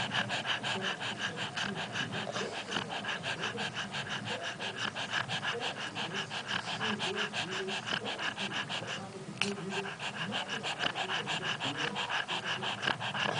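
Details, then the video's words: Awake but snoring, the dog Mortadela keeps up a long, even train of harsh nasal breaths, close to three per second, with a short louder scrape near the middle. "mortadela roncando acordada"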